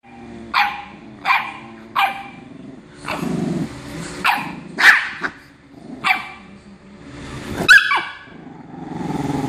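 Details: Dog barking while a bulldog pesters a chihuahua indoors: a series of sharp single barks spaced about a second apart, then louder irregular barks, with a low rumbling hum underneath.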